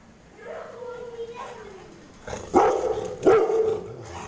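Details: Angry pet Rottweiler reacting to kids poking it: a child's voice first, then two loud, gruff barks about a second apart near the end.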